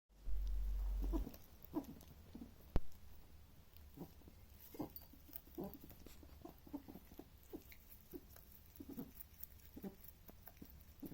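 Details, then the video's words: A male rabbit makes soft, irregular clicking and snuffling noises, short and quick, several each second, while he eats. "Rabbit makes strange noises whilst he eats"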